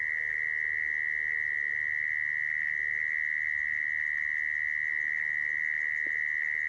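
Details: A mole cricket's sustained high buzzing trill, the kind used to draw mole crickets into traps, constant in pitch from start to end, with one faint click near the close.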